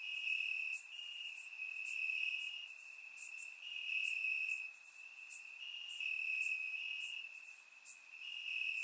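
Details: Crickets chirping in grass on a warm summer night in Bulgaria, recorded with a surround microphone: a steady high trill carries throughout, overlaid by brighter pulsed bursts from other crickets, forming a dense continuous chorus.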